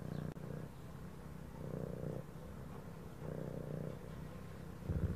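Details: Domestic cat purring steadily, a low rumbling throb that swells with each breath in and out, roughly every one and a half seconds, under faint soft background music.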